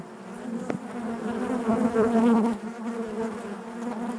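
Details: Hive of bees humming, a low droning buzz that grows louder and slightly higher between about one and a half and two and a half seconds, then eases back to a steady murmur.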